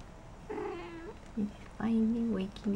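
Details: Shaded golden Persian kittens, four weeks old, out and about in their corral; a drawn-out level mew, a brief squeak, then a louder, longer steady mew ending in a short cry.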